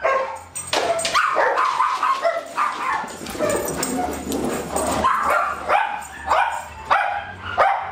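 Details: Dog play among Darwin, Vader, Bars and Boudicca on July 8 2010, with a continuous tumble of yips, grumbling growls and sharp barks, several tonal whines rising over rustling and a low background hum.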